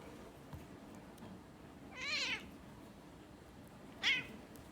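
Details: Domestic cats suddenly fighting while other cats look on, recorded on 16 December 2020; two wavering, nasal yowls, the first about half a second long, the second shorter and sharper, over steady background hiss.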